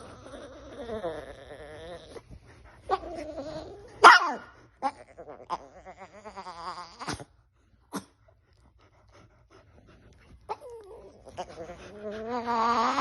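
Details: Chihuahua. A Chihuahua gives a string of odd vocalizations: warbling, moaning whines that rise and fall, with a few sharp yips. People talk briefly in the background, and music plays faintly at times.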